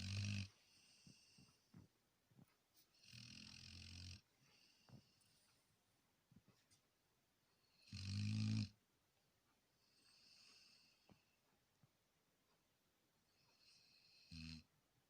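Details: A sleeping Labrador Retriever snores in loud, rasping bursts with a deep rumbling base, heard near the start, around three and eight seconds, and again near the end, with quiet breathing in between.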